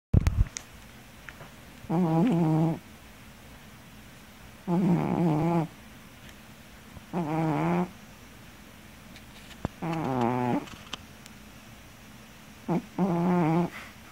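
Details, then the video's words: Pet cat napping at home snores loudly: five low, rasping, buzzy snores about one second each, spaced roughly every two to three seconds, against quiet room hiss. "My snoring cat"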